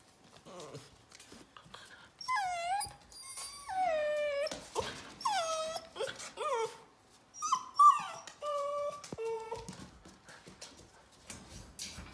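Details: Eight-week-old yellow Labrador Retriever puppies from Rosie's litter, indoors: a run of high, sliding whimpers and whines, each falling in pitch, several in quick succession over about eight seconds, with clatter and handling noises between them.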